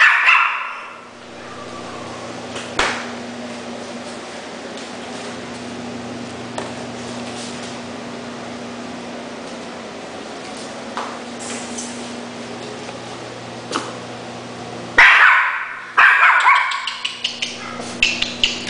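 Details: Schnauzer barking indoors: a brief high yap near the start, then a long stretch of steady mains-like hum, then a burst of several sharp barks and yips in the final few seconds.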